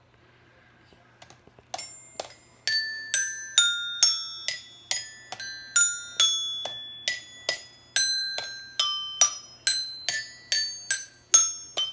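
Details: Bright keyboard notes ring out in a quick, regular melody, each note sharply struck and fading, played indoors in a small room with no animal voice heard.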